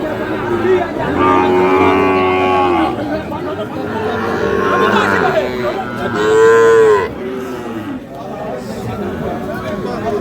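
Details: Sahiwal bull calves at Ambari cattle market, Parbatipur, Dinajpur, on 30 March: a loud, drawn-out moo with a stacked harmonic tone swelling near the end, set against busy market noise and men haggling over prices.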